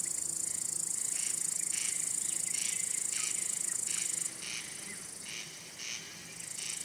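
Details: Wing-rubbing male cricket calling to attract or court a female or to scare rival males: a shrill, unbroken high trill that ends after four seconds, plus rhythmic pulsed chirps repeating roughly every half second to second.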